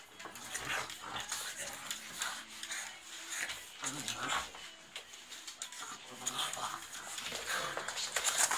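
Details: Pugs play-fighting indoors, giving rough snorting grunts and short growly huffs in irregular bursts, with scuffling and a faint human voice in the background.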